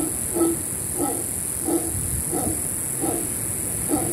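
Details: Howler monkeys above a beach cabana by the rainforest on Panama's Caribbean coast give deep, guttural roaring pulses in a steady rhythm of about one per second.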